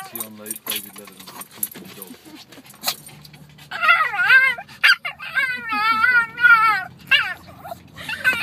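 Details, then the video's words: Pet dog making talking-like vocalizations while its owner speaks: after human speech, a series of wavering, yodel-like whines and groans with pitch wobbling up and down in phrases of about a second, interspersed with the owner's voice. "My dog Donovan loves to talk!"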